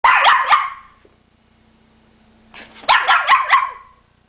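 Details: Female dog barking at home while its owner speaks German to her about a tree, asking if she is too lazy to climb down; two bursts of sharp, rapid barks about three seconds apart, with near-silence between.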